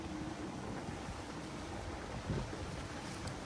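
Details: Steady low rumbling noise like wind buffeting or distant surf fills the recording. No animal call can be picked out.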